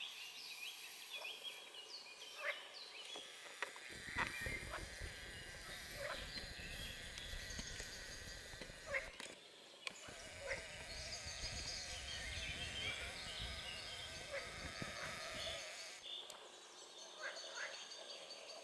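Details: Water frogs (Pelophylax sp.) at fishponds in the Draga valley on 25 June 2022, giving repeated rough croaking bursts within a wider chorus over a steady broadband hiss, with louder rattling calls clustering in the middle section.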